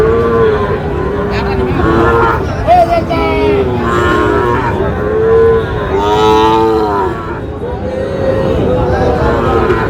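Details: Sahiwal bull calf for sale at a cattle market in Chittagong, Bangladesh, lowing in long harmonic moos, repeated several times across the stretch, over steady crowd chatter and bargaining voices.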